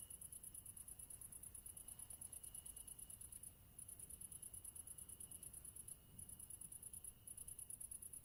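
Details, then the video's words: Crickets singing a continuous rapid series of high, shrill chirps with short breaks around four and six seconds, over a faint low background rumble. "Crickets Sound Effect HD"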